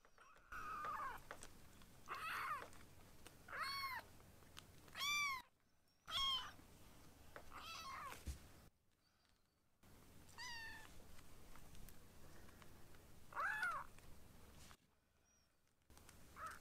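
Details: A string of high, arching kitten mews, about eight in sixteen seconds, some harmonic-rich and rising then falling, from foster kittens Ashiro and Akuro, rescued babies learning to eat and play indoors.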